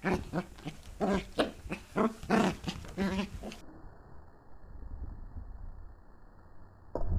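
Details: Playful Pembroke Welsh Corgi puppy tussling with a hand in 2014, giving a rapid run of short, rough, harmonic growl-yips, about two per second for three and a half seconds, then near quiet with faint rustling.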